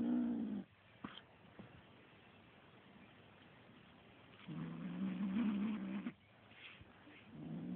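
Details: Little kitten turning mean on a feather toy, giving low buzzing growls: one fading at the start, a long rumble in the middle, and another beginning at the end, with quiet scuffling and soft taps between them.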